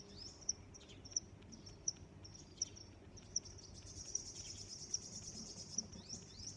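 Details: Crickets chirping: sharp, high single chirps repeated steadily about every 0.7 seconds, with faint higher trills and brief sweeping sounds in the background over low, steady environmental noise.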